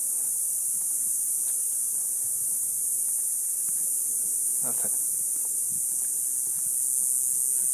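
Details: Cicadas in a neighborhood just after sunset in summer heat, calling from a Palo Verde tree: a steady, hissing high-pitched buzz held without a break, with a brief low voice partway through.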